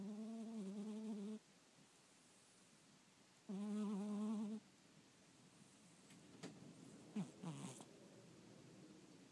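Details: Sleeping kitten snoring with a slightly weird sound: two buzzy, tonal, droning snores, each lasting over a second and spaced a couple of seconds apart, followed by quiet rustling and soft clicks in a still room.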